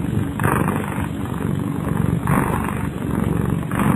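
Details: Kyara, a domestic cat, snores in her sleep, a low, coarse rasp that rises and fades in regular breaths roughly once a second, with a steady background hum beneath.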